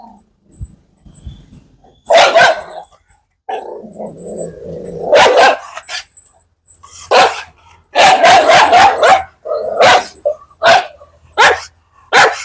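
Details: Dog barking in sharp, irregular bursts, several rapid barks clustered together, with growling between them and short silent gaps; people call to the dog nearby.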